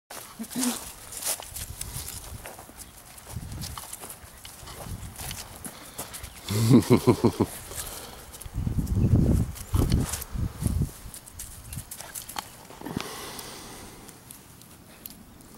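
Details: A Siberian Husky puppy about 2 months old gives short, throaty, wavering yowls in a couple of bursts.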